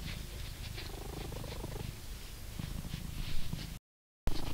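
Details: A blue British Shorthair cat in England purrs with a deep, steady rumble while being brushed, with soft scratchy brushing sounds.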